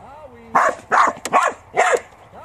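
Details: Farm working Border Collie giving four sharp, mid-pitched barks in quick succession, about one every half second, after a faint tonal whistle-like sound at the start.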